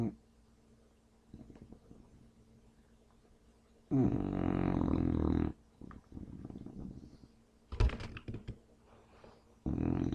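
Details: A male English Bulldog, deeply asleep and not waking, snores in loud, rasping, rattling bursts separated by quieter breaths.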